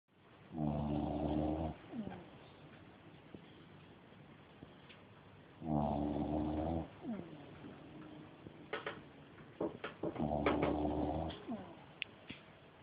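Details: Dog snoring loudly during a nap: three rough, harmonic-rich snores about every 4.5 seconds, each lasting roughly a second, with softer breathy noises and faint clicks between them.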